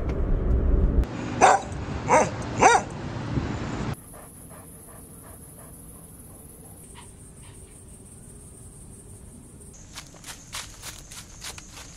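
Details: Puppies of small breeds (Pomeranian, Chihuahua, Maltipoo, Poodle, Bichon Frisé) barking playfully as they play and explore; three sharp high yaps in the first seconds, then quieter, scattered short yips over a steady high-pitched background tone.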